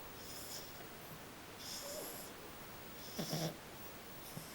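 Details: A small female French Bulldog snoring while asleep indoors; soft breathy rasps come at irregular intervals, with one short snort-like snore in the middle, against a quiet room background.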